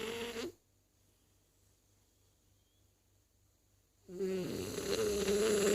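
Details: French Bulldog Zazie snores: a short rasping breath at the start, a silent pause of about three and a half seconds, then a louder, longer buzzy snore with a nasal whistle.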